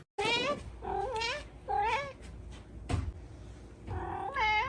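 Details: Kittens giving a rapid string of insistent, wavering meows, four close calls that rise and dip in pitch, with a soft tap partway through.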